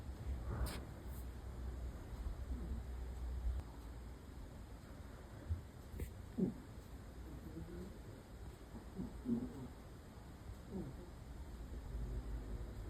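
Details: Shiba Inu named Happy snoring: soft, low rumbling breaths repeating roughly every three seconds, with a few faint squeaky nasal whistles between them and a couple of short clicks near the start.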